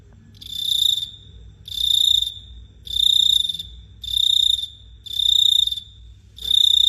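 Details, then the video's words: Cricket chirping under the night sky at Phteah Prey: shrill, high, ringing trilled bursts about half a second long, repeated roughly every 1.2 seconds, over a faint low hum. "The Sound of Cricket Chirping is amazing"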